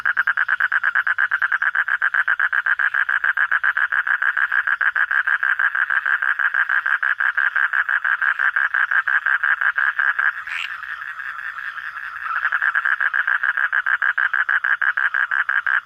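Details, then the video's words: Night-time frog producing a dense, fast train of pulses like a steady rattle, briefly quieter for about two seconds near the end before the calling resumes loudly. "hunting for frog sounds at night"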